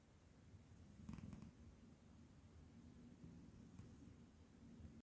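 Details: Sleeping Scottish cat snores indoors, a continuous low, throaty rumble that swells slightly after the first second, with a faint rustle and a short scratchy noise early on.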